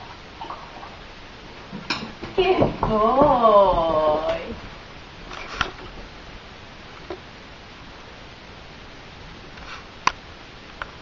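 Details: Sebbe, a Eurasier puppy about 12 weeks old, just after his first bath indoors: one drawn-out, wavering whine with rich harmonics lasting about a second and a half, followed by scattered clicks and knocks in a quiet small room.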